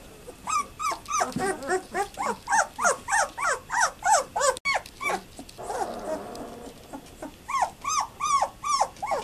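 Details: A litter of German Shepherd puppies aged 12 days, recorded on 18 November 2012, calls in a steady run of short high squeals, about three per second, with a brief softer pause before the squeaking resumes.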